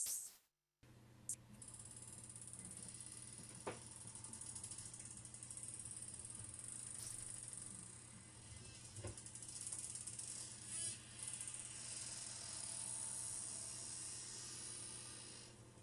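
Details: Bottlenose dolphin clicks recorded underwater by hydrophone in Chesapeake Bay: a dense, rapid ratcheting buzz of sharp broadband pulses.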